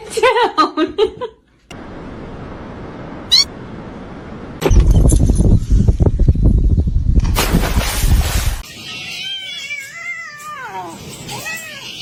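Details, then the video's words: House cat producing a short run of meows at the start and a series of descending, arching meows near the end, with bursts of noise, laughter and screaming between them. "cats meowing"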